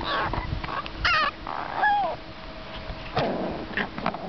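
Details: Seven-week-old American Eskimo puppies whimpering: short high whining cries, some with a rising and falling bend, interrupted by a brief burst of scuffling and low background rustle.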